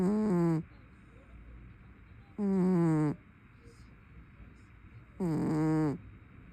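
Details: Loud snoring from a dozing brown tabby house cat: three drawn-out, nasal, buzzing breaths, each under a second and slightly falling in tone, about every two and a half seconds, with quiet room hum between them.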